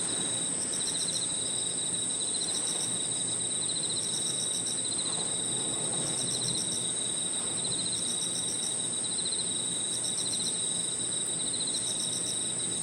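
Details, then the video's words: Crickets and other insects singing in a park in the evening: a continuous high shrill tone with pulsed chirping trills repeating roughly every two seconds, over a steady background hum. "Harmonious sound of crickets and other insects 저녁 공원 풀벌레 소리"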